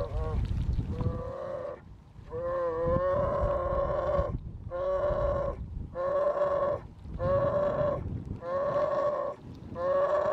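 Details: Second-summer grizzly cub begging its patient mother to nurse, persistently calling for milk, June at Silver Salmon Creek, Lake Clark, Alaska; a run of nasal, harmonic-rich humming whines, each about a second long, repeated with short gaps roughly every 1.5 seconds.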